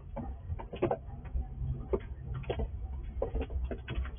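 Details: Wild squirrel eating in the dark at night beside a house, filmed with night vision; irregular crisp crunching and gnawing clicks, a few each second, some sharper bursts, over a steady low hum.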